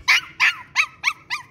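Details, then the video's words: Tri-color Shih Tzu puppy, five months old, excited to play, giving five sharp high barks in quick succession, each about a fifth of a second, spaced roughly every quarter second. "Shih Tzu puppy excited to play...!!"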